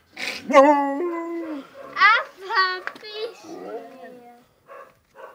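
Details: Husky dog Molly starts with a loud yelp that turns into a sustained level moan, follows with shorter rising and falling vocal bursts, and then trails off into quiet.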